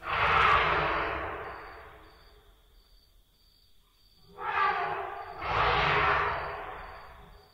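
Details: An African elephant screams harshly: one long roaring blast that fades, then two more bursts a few seconds later, over a faint steady high pulsing hum; Southern African recording.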